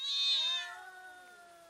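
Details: Domestic cats facing off and fighting, slowed down: a single drawn-out moaning yowl, loud and bright at first, then sliding gradually lower and fading.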